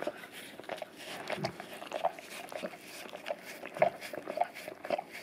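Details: Golden retriever of English cream type, male, licking an Orapup tongue-cleaning brush covered in peanut butter on a tile floor; moist slaps and smacking licks in quick irregular clusters, indoors.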